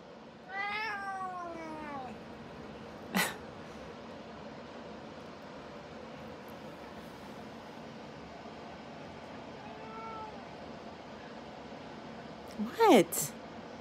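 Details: Grumpy domestic female cat, indoors, biting playfully when petted: a falling whiny meow near the start, a soft brief mew around ten seconds, then a sharp rising squeak near the end, with clicks and quiet room noise between.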